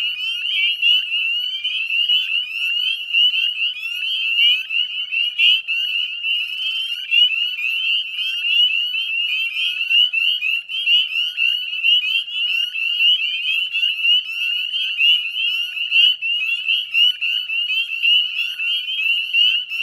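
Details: Northern spring peeper chorus recorded 9:08 p.m. at dusk, 18 May 2020, along the northwestern edge of the Chezzetcook salt marsh in West Chezzetcook, Nova Scotia: sustained shrill ringing of overlapping rising peeps, loud and steady throughout.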